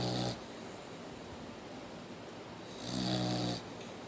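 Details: Mia, a Boxer, still snoring: the tail of one snore, then a pause and another full rumbling snore lasting under a second, low and buzzy with an airy hiss above.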